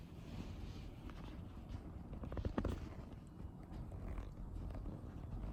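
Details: Wasabi, a female mixed-breed kitten, dozes on her favourite sofa during a holiday afternoon nap; a low, steady, pulsing purr rumbles throughout, with a few faint clicks and rustles midway.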